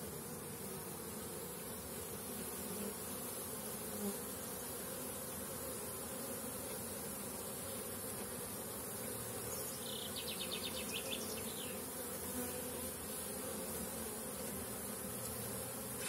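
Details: Honey bees in an apiary during intensive brood rearing, with young bees making orientation flights and workers carrying water and pollen; a steady, diffuse droning hum throughout, and a brief trilled chirping of a small bird about two-thirds through.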